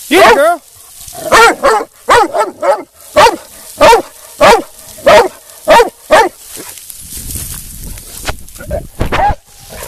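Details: Female black and tan coonhound, almost two years old, during UKC show training: a rapid run of loud, short, harmonic barks, roughly ten in the first seven seconds, then a few quieter, scattered barks over low background rumble.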